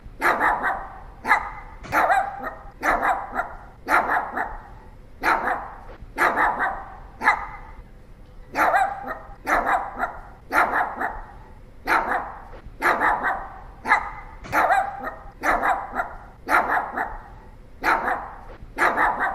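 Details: Pomeranian dog in a long run of persistent barking, high-pitched yappy barks often in quick pairs, repeated around once a second with only brief pauses throughout.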